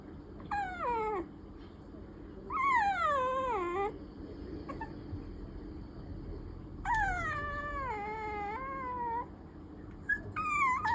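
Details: Clingy Maltese–Pomeranian mix puppy crying for attention with long, wavering, falling whines, some tailing into a low moan, four cries spread over eleven seconds against a faint constant background hum.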